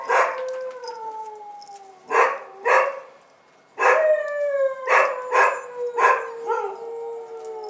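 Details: On their first outing on 18 January 2015, Bull Terrier puppies give drawn-out, slowly falling whines broken by sharp yelps, one brief pause, then overlapping cries.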